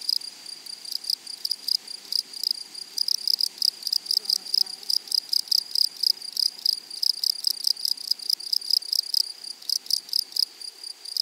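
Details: Flowery-meadow grasshoppers giving dense, continuous trains of buzzy high-pitched pulses, briefly thinning out near the end before resuming.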